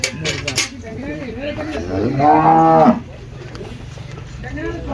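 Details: Friesian cow at a live cattle sale giving one deep, drawn-out moo lasting under a second, after lower grunting murmurs, with clanking, voices and steady background noise around it.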